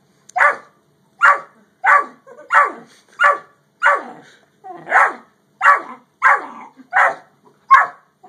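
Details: Dogs, a Great Dane and a Yellow Lab, barking: a run of about ten sharp, mid-pitched barks spaced roughly every two-thirds of a second, fairly even and loud, with no other clear sounds.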